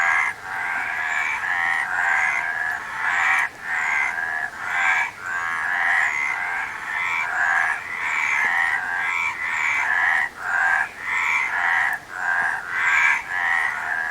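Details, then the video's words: Continuous frog chorus: rasping, buzzy croaks overlap in uneven bursts, with short breaks scattered through a steady wall of calling. "Frog Sound"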